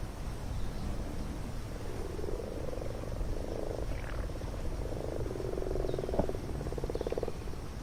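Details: Spawning common frogs massed in a garden pond, males calling to attract females, filmed close with a mini-camera; steady overlapping purring croaks in trains lasting a second or more, rising in density toward the end, low rumble beneath.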